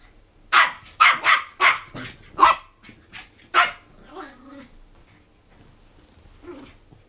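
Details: Hyped on sugar from toffee popcorn, 14-week-old Border Terrier pup Mabel fires off a rapid run of about seven high, punchy barks over three seconds. A human voice follows, then a last faint yap.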